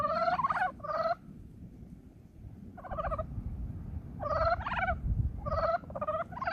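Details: Early-spring brown frog chorus: clusters of two or three grating, pulsed croaks, each under half a second, separated by quiet gaps of one to two seconds, against soft low rumble.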